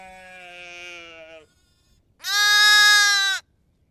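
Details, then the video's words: Two bleats from lamb and sheep: a softer, longer, slightly falling bleat, then after a short pause a loud, bright, steady one lasting over a second. "Lamb,sheep, bleats"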